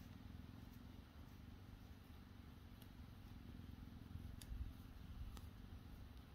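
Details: Relaxed cheetahs at HESC on a beautiful Sunday, one receiving grooming with licks and an ear nibble; a steady, low rumbling purr runs unbroken throughout, with a few faint clicks on top.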